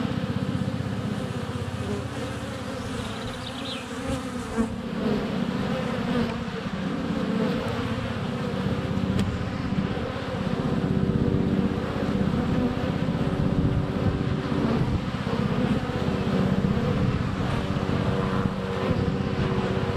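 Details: Honey bees crowding a hive entrance in February sunshine, recorded within a foot by a GoPro Hero 7 Black; heavy low buzzing swells louder after a few seconds, with a brief high chirp early on.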